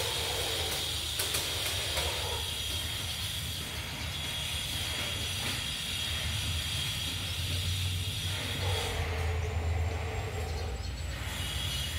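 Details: Dense hissing and rumbling machinery, like a passing train with air brakes, covers the recording without any animal voice.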